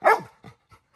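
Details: Little John, a pet Labrador Retriever, reacts while Grandma offers him coconut water he does not want to drink; one sharp harmonic bark opens, fading into a few faint, short, softer sounds.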